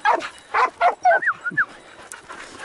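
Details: Hunting hound baying on a hare chase on a morning of 6 October 2018, after a quick flush of the first hare. A rapid burst of about five sharp, yelping barks, then higher whining yips that rise and fall, over faint outdoor background.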